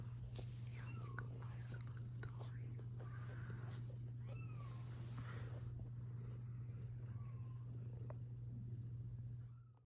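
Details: Mother cat near her growing kittens indoors, objecting to the kittens being filmed; a few soft, arched mews rise and fall over ten seconds, set against a steady low hum, whispering and small handling noises.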